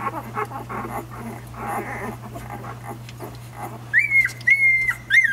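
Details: One-week-old nursing puppies: soft rustling and snuffling sounds at first, then three clear high whimpers near the end, each a thin, steady, slightly falling whine cut off sharply, over a constant low electrical hum.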